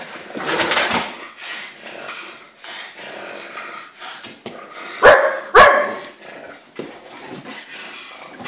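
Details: Playing dogs, an Irish wolfhound in heat with a pug and a Landseer puppy, indoors; low growly grumbles run under scuffling, then two sharp loud barks close together near the middle.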